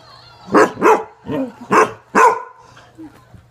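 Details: Zoe, a Basset Hound described as ornery, barks loudly in a run of five deep, full-throated barks over about two seconds, followed by a small yip, with a faint steady hum in the background.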